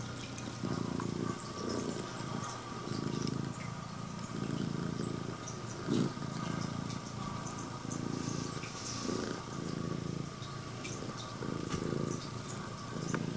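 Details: Scottish Fold cat (straight-eared female, red tabby and white) purring loudly in greeting to its owner; low rumbling pulses swell and fade in a regular rhythm about once a second, with light clicks and rustles over the drone.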